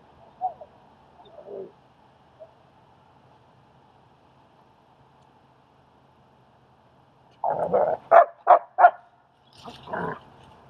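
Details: German Shepherd assisting with training and socializing a timid dog in Queens, New York: a few soft, scattered sounds, a long lull, then a rapid run of four or five sharp barks ending in a lower bark.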